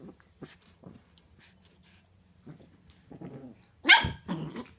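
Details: Playing 8-week-old Shih Tzu puppies, four left from a litter of seven; quiet low growly grumbles and scuffles, then a sudden loud high-pitched yip near the end followed by a short whine.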